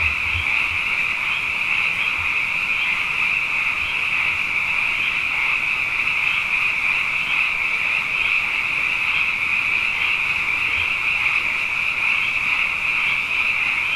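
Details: Frogs, numerous after two wet years running, fill the night with a sustained high chorus. Dense overlapping croaks pulse gently in a steady blanket of sound, with occasional soft low thumps in the background.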